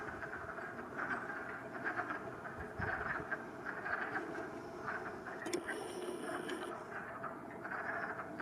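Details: Frogs singing in a swamp on March 8, 2020: a soft, steady chorus of mid-pitched pulsing trills that swell and fade in overlapping bursts, over a low background rumble, with a brief thin high buzz partway through.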